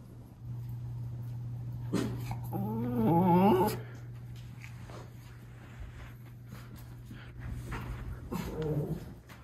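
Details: White Miniature Schnauzer brothers reacting to a new upstairs lookout indoors in Aroostook County, Maine, January 17, 2022; a wavering, quavering whine around three seconds, a short whimper near the end, steady low hum throughout the small room.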